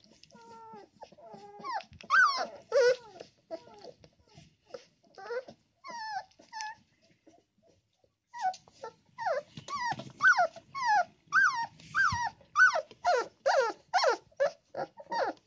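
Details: Puppy complaining after his mother settles into his favorite corner of the box where the litter sleeps; sharp, high whimpers and yelping whines, sparse at first, then a brief pause and a fast, insistent series of about two per second.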